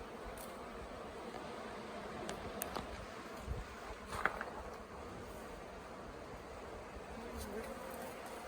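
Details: Swarm of honey bees, late in the year, that had settled for days on the grounds of the Tamarind Tree Hotel and was being coaxed into a nuc box. A steady, dense, low hum with a few faint clicks and knocks.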